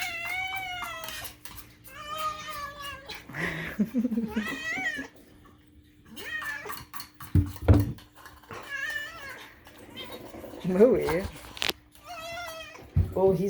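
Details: Indoor domestic cat Moo meowing nonstop: a long series of harmonic meows, some steady and some wavering into caterwaul-like yowls, broken by clatter and brief human voice, over a constant low hum.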